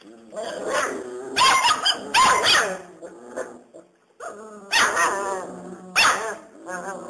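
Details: Five-week-old Serbian Mastiff x German Boxer crossbred puppies giving loud, harmonic yelping barks with a growly edge, in rapid bursts that come in two clusters separated by a brief quiet gap.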